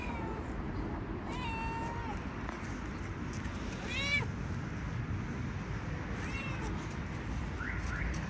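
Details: A tuxedo cat meows while walking, giving several short, bending meows over a steady low rumble of background noise.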